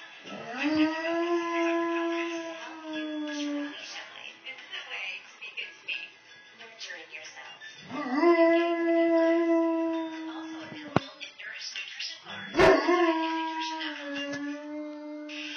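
A Dogo Argentino howls in long, steady, tuneful notes, each rising briefly at the start and then holding.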